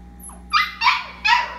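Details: Labradoodle puppy settling for the night, three short high whimpering yelps in under two seconds, the first slightly bending upward, over a faint hum.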